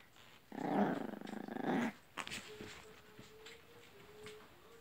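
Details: White Chihuahuas playing indoors in Simferopol: a low, pulsing play growl runs for about one and a half seconds, then stops. A thin, steady whine-like tone follows, faint and slightly wavering, in a small quiet room.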